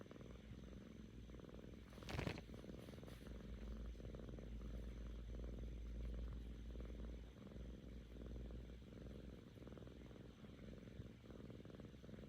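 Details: Kkami, a curious seven-month-old female cat, purring contentedly in what is called a golgol song; low, even purring pulses roughly three per second, interrupted near the start by a brief rustling bump.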